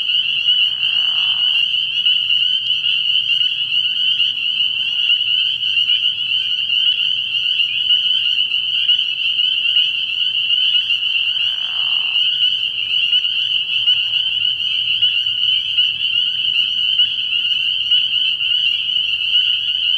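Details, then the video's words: Early-year night at a frog pond, spring peepers in full chorus: constant piercing high peeps overlapping without pause, plus two short deeper, grating sounds near the start and around twelve seconds. "Tree Frog Sounds"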